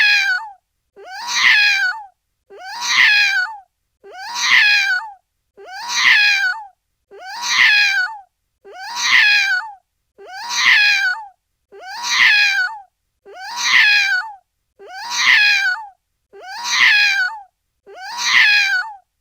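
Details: Kittens give thirteen loud, strained, wavering meows in a steady series, roughly one every one and a half seconds, with silence between calls.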